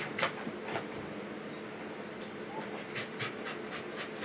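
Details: Pembroke Welsh Corgi puppies panting: soft breathy bursts, a pair at the start, then a quicker irregular run of puffs over the last two seconds, over a steady low background hum.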